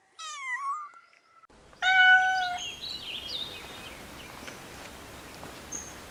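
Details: Kittens playing on green grass, giving high harmonic meows: a short rising-falling cry, then after a pause a louder steady meow near two seconds, followed by faint softer mews and quiet background noise.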